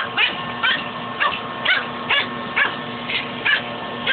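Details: Domestic dog battling a shop vac hose, letting out sharp, short barks about twice a second in a fairly regular rhythm over a constant droning vacuum hum.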